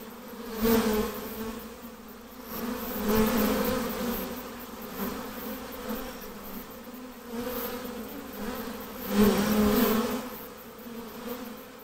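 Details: Honey bee swarm being hived: a dense, steady droning buzz with a low hum and a brighter overtone, swelling into louder surges about every two to three seconds as bees pass close.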